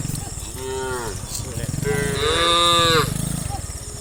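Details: Tame cows running down a hill as part of a herd of dozens, giving overlapping moos, a short call then a longer loud strained one, over a rapid low rumbling of hooves or movement.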